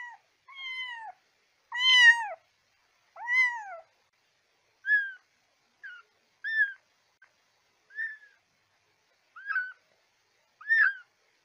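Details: Kitten meows used to call cats: several strong harmonic meows at first, then a run of thinner, higher, shorter mews roughly every 1.5 seconds. No other sounds are heard.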